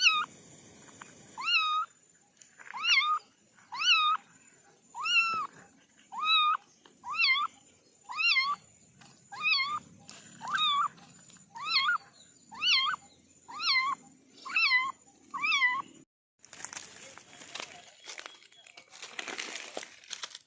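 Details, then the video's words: Kitten of a family of four giving a steady series of short, high, bent meows roughly once a second, ending in a burst of broad rustling noise. "Kitten sound test"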